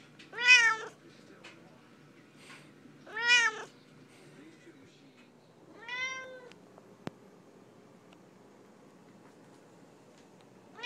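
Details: A chatty female Siamese cat indoors, talking to her owner: three loud drawn-out meows, each arching up then falling, spaced about three seconds apart, with a quiet room between calls.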